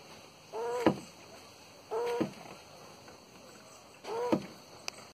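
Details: Mating tortoise in Porto Alegre, Brazil, January 2021: three short honking squeaks, each rising slightly then cut off with a knock, about every one and a half seconds, against steady low hiss.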